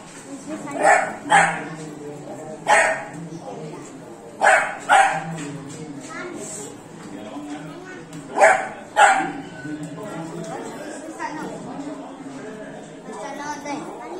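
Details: Beagle puppy aged three months, playing with water, gives loud yappy barks mostly in close pairs, repeated a few times with quieter gaps, as voices murmur nearby.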